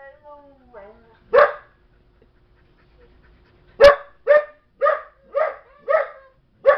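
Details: A young female Belgian Malinois barking repeatedly while another dog uses calming signals; loud harsh barks roughly every half second in a steady run, preceded by softer whines and whimpers.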